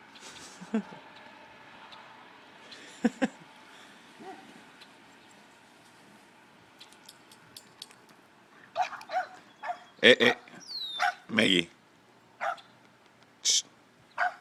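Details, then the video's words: Pet dogs, a Doberman and a Boston Terrier, worked up over a bird in their pond; scattered sharp barks and yips, sparse early then clustered and louder in the second half, with faint background noise. "The dogs were freaking out about the bird being in "their" pond"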